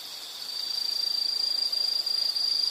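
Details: Single insect with a steady, piercing high trill that swells from faint to loud and holds on one pitch, made of rapid tiny pulses, with a soft hiss behind it.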